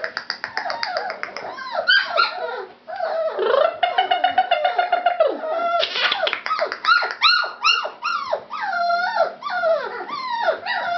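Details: Litter of fawn-coated Labrador Retriever puppies calling together: repeated high whimpers, arched whines and sharp yips crowding over one another, some sustained wavering cries in the middle.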